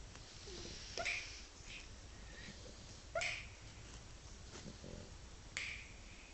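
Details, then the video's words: Bobby, a pet dog, snores while asleep, cheeks puffing up; breathy, rasping snorts recur roughly every two seconds over a faint steady indoor hiss. "Bobby Snoring"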